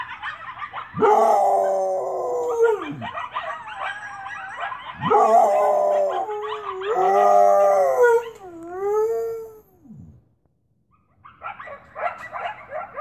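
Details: A domestic dog howls along with a very close pack of coyotes outside, giving long, wavering howls that swell, hold, then slide down at the end.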